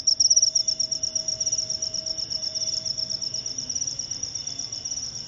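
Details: Jangkrik upo cricket giving a high, pulsed chirping, bursts of rapid clicks run together into a continuous shrill trill, loudest at the start and then settling into softer, steady pulses; a faint lower hum underneath.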